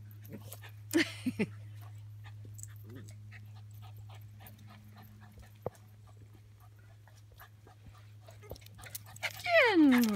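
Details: Dog on a play date between Skipper and a Schipperke named Ruby; a high whine sweeps steeply downward near the end, after a short sharp sound early on, with faint talking and a steady low hum throughout.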